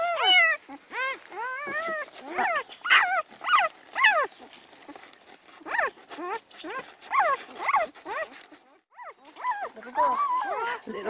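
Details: Newborn Great Pyredane puppies, spring 2016 litter, squealing and whining in rapid bursts of short rising-falling cries, many overlapping, with brief gaps; a person speaks softly near the end.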